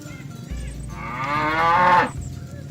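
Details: Cow calling friends to return to the barn from the rice field: a single short moo that rises in pitch and swells in loudness before cutting off, over a low background hum.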